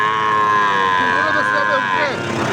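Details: Gir or Sahiwal bull calf at Ambari haat cattle market; a long, even, nasal moo fills almost the whole stretch and dips in pitch at the end, with market voices behind it.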